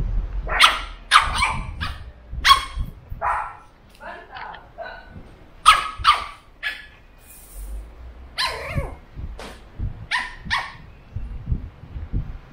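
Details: Burrito, a 13-week-old male Pug puppy, playing by himself inside his pen: short high yips and barks in scattered bursts, some with harmonic overtones, mixed with scuffling and low thumps from play.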